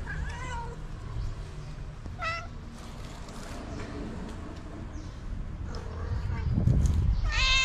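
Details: Tabby cat meowing to summon other cats for food, several short meows spread through, the last one louder, with low rumbling background noise and faint clatter.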